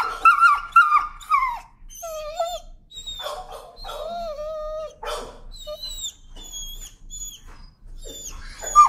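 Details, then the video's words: Shrill protest screams from a timid dog that fears leash pressure, walked on a leash: piercing, sliding, wavering cries come in quick bursts, some drawn out into long bent wails, then shorter yelps follow irregularly to the end. "Timid dog, afraid of leash, screams and protests."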